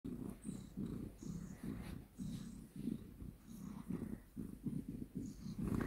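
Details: Domestic cat purring indoors, a steady low rumble pulsing in rhythmic bursts roughly every half second with the breathing cycle, slight rustling in the background.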